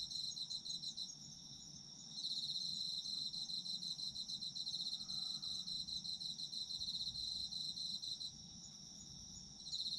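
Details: Chorus of autumn insects for sleep listening, a continuous shrill pulsing trill overlaid by several chirping callers, one voice pausing briefly near the start and end; soft low hum beneath.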